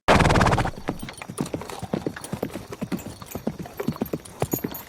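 A horse gives a brief, loud, harmonic neigh, followed by the steady clip-clop of hooves.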